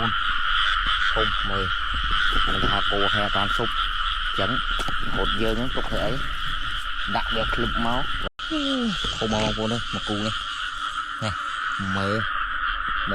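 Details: Frogs croaking in rice fields during rainy weather while being caught: dense runs of deep, nasal, harmonic croaks, several per second and overlapping, over a steady high-pitched droning chorus.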